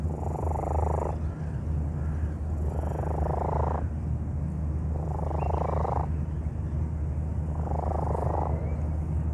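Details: Ill cat picked up in a park, its laboured abnormal breathing recorded on a microphone: four rasping, hissy breath bursts recur about every two seconds above a continuous deep purr-like hum.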